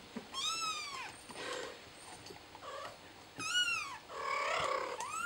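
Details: Kitten calling for help: two loud, high harmonic meows that rise then fall, about three seconds apart, with softer rustling and scraping between them and a faint high whistle in the background.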